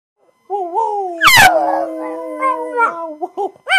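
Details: A male pug howling for his owner gives a long, wavering howl, broken by a sharp yelp and ending in short rising yips.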